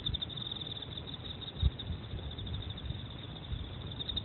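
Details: Emma field cricket chirping, a thin high pulsed trill repeating steadily and evenly for the whole stretch over a low background rumble.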